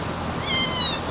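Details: Gray mixed-breed kitten meowing while being carried, a single clear high meow rising then holding level for about half a second, over a faint steady background hiss.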